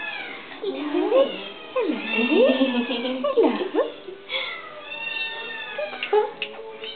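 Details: Indoor pet cat, described as fairly vocal, uttering low, drawn-out, yowling meows that swoop down and up, a few in close succession, beside a woman's speech.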